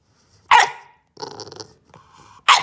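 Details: Bulldog puppy demand barking in protest indoors after being told not to bite the corner of the couch: two sharp, loud barks about two seconds apart, separated by grumbling, whiny growl-like vocalising.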